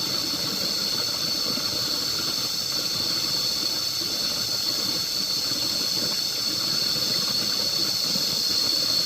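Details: Loud, unwavering cicada drone filling the air, a high hissing whine that stays level and steady throughout with no other clear sounds.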